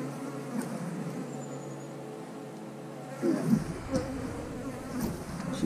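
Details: Steady swarming drone of honey bees at an eight-frame beehive during an inspection, the hum swelling louder after about three seconds with brief knocks and a quick higher whine.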